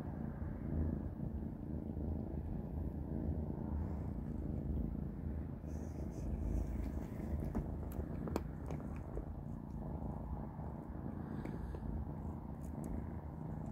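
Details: Three kittens, Panda, Grayie and Goldie, eating a big dinner of cat beans indoors; a steady low rumbling purr runs throughout, with small crunching clicks of biting and chewing scattered over the middle and end.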